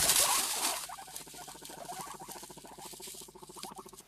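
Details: A guinea pig rumble struts, a low, fast, vibrating purr, more common in males, used to work out who is boss, often when new guinea pigs are introduced to a group.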